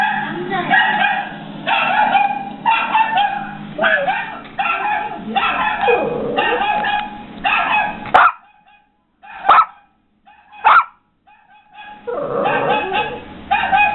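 A Yorkshire Terrier gives rapid, high yapping barks, answering another dog's barking played nearby.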